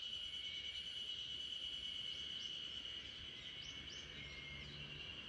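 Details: Spring cicadas droning together in a backyard as a sleeping Great Pyrenees dozes; a bright, steady high buzz without pauses, a few faint short chirps rising above it near the middle.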